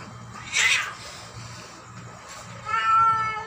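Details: Tabby cat fighting: a sharp, bright yowl bursts out briefly, then a longer harmonic, wavering meow-like wail follows after a pause, over a steady low background hum.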